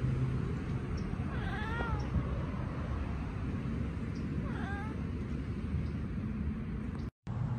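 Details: Domestic cat chattering on spotting a bird or insect, behaviour heard when prey is out of reach: two short, bent, harmonic chirps about three seconds apart over a steady low hum.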